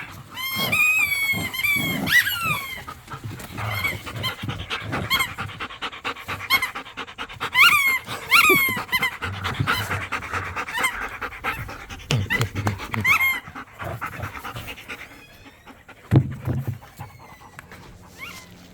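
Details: Playing tug of war in a yard, pit bulls and a Malinois growl and snarl while a squeaky toy shrieks again and again in clustered bursts, with heavy panting throughout.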